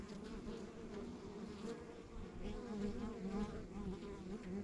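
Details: Honey bees at a rural backyard beehive, a steady droning hum of many bees with a low, slightly wavering drone and shifting overtones, swelling a little in loudness toward the end.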